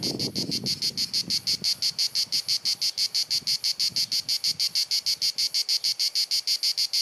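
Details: Cicadas singing in summer in Croatia, recorded on a Panasonic Lumix DC-TZ90 camera: a loud, shrill, high buzzing pulsed in a steady rhythm of about three bursts per second, incessant and penetrating, with a faint low rumble early on.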